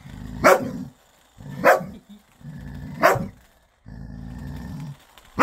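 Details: Ten-year-old dog playing with a new ball alternates low rumbling growls with sharp barks, three barks spaced a little over a second apart.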